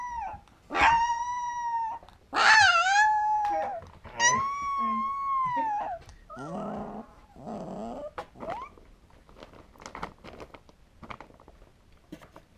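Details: First howl of a two-week-old female Alaskan Malamute puppy: three sustained wavering howls in the opening six seconds, each arching gently in pitch, followed by rougher grumbling whines and faint scratchy clicks as the calling fades.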